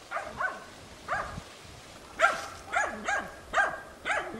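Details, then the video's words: Hunting dog Tina barking persistently at young wild boar held at bay in training. Six loud, separate barks, each with a quick upward-then-falling pitch, spaced about half a second apart over a quiet outdoor background. "odlicno goni i uporno oblajava d.nazimad"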